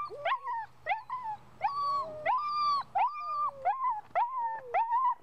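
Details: Excited puppy with strong ball drive, producing drawn-out high whines with sharp rising starts and level held tones, each about half a second, coming in quick succession.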